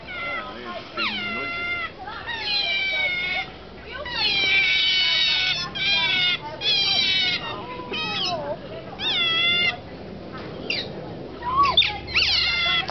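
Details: Captive otters at Shepreth wildlife park, 18 May 2008, calling out near feeding time; a busy chorus of high, piercing, bending squeals and chirps in overlapping bursts, some sliding downward, repeated throughout.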